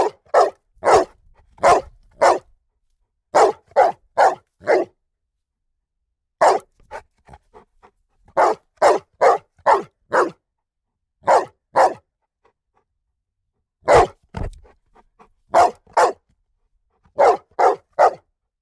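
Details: A strong Rhodesian Ridgeback x Bullmastiff cross dog barks in a long sequence of deep, loud woofs grouped in bursts, heard from a yard.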